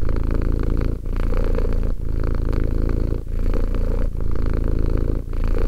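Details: Two-year-old house cat Romek purring; deep throbbing drone in cycles of about a second, each breath separated by a brief quiet break, no other sounds.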